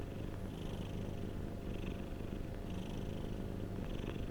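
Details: Domestic cat purring, a continuous low rumbling drone with soft breathy swells recurring about once a second, steady and unbroken throughout, with a faint hiss above.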